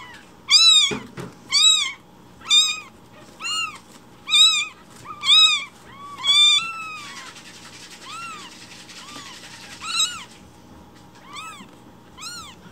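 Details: Rescued newborn kittens meowing loudly in the morning, demanding their breakfast milk while it is being prepared; a run of high, arched, harmonic cries repeated about once a second, fading softer near the end, with a brief thump early on.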